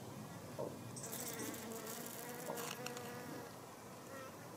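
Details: Sun fly (Helophilus pendulus), a hoverfly, pollinating yellow cucumber flowers in a greenhouse, with both a male and a female present; a steady droning hum with wavering harmonic overtones, plus brief high hissy rustles.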